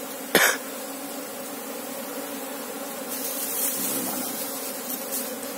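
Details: Colony of Asian honey bees, Apis cerana, checked for its queen: a continuous low hum runs throughout, broken early by a sharp human cough, with the drone swelling slightly later.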